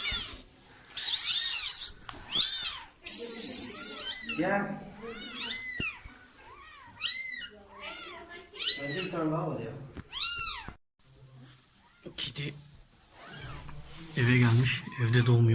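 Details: Domestic cat that slipped into a neighbour's house and gave birth, moved with her newborn kittens into a box lined with clothes for warmth; high arched mews repeat irregularly, about one a second, over people talking nearby indoors.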